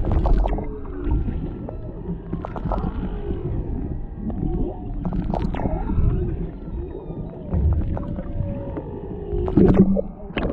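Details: Underwater singing of humpback whales near Maui, Hawaii, where a mother and calf swim close to a boat and a male lingers behind, caught on a GoPro Hero 7 Black: sweeping upward and downward moans, short whoops, clicky pulses, and steady low rumble.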